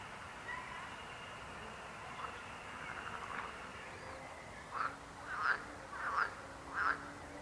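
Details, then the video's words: Frog croaking starts after a quiet stretch with a soft, distant chorus, then four short croaks come roughly every two-thirds of a second. "Rechot żab. Croaking frog sound."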